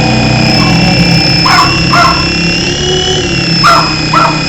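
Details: Lucy, a female Jack Russell Terrier family pet, barks while chasing a beeping RC helicopter: four sharp barks in two pairs, under a loud steady whine of the helicopter's rotor and motor.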